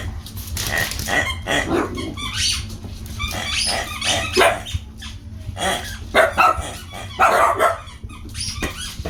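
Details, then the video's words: Miniature Dachshunds playing with squeaky toys indoors: sharp high barks and yips come in quick irregular bursts, mixed with rubbery toy squeaks and short growling sounds, over a steady low background hum. "Miniature Dachshunds with squeaky toys"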